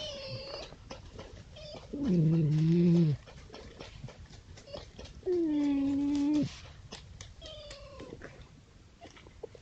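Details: Red fox at night on a woodland edge surrounded by fields in East Sussex, late October, giving drawn-out, moaning, catlike wails with softer calls between, possibly while playing, fighting or establishing territory.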